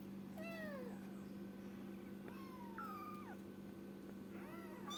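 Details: Kitten meowing: three thin, high meows, the first falling, the middle one long and wavering then dropping, the last short, over a steady low electrical hum.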